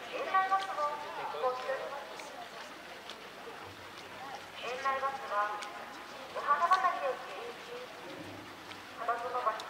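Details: A California sea lion mother with her newborn pup at Higashiyama Zoo on Wednesday, June 28, 2023, giving hoarse, bleating calls, each about a second long, repeated with pauses.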